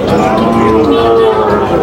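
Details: Sahiwal bull calves at Ambari cattle market, with farmers from Jessore, Bangladesh, buying on 26 May 2025. A low, drawn-out moo holds a steady pitch for under a second amid dense market chatter and haggling voices.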